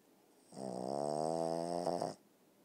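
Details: Boston terrier snoring: one drawn-out, droning snore of about a second and a half, rough and buzzing with a strong low hum, rising and ending abruptly, in an otherwise quiet setting.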